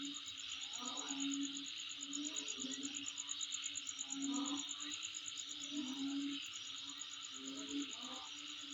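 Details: Continuous insect calling with a quick steady-pulsed high trill and broad buzzing hiss; a low tonal hum and intermittent short bursts sound in the background about every second or two.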